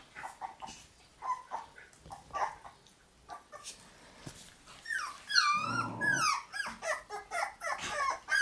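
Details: Several puppies in a puppy room on May 20, growing livelier by the day; soft scattered whimpers early on, then a burst of overlapping high, wavering whines and squeaks in the second half, with quiet shuffling between calls.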